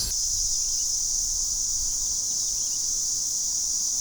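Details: Platypleura hilpa cicada in Sanzhi, Taiwan, in July, recorded with a camera-mounted shotgun microphone: a continuous, steady, high-pitched buzzing drone that holds without pause or change in loudness, over faint low background noise.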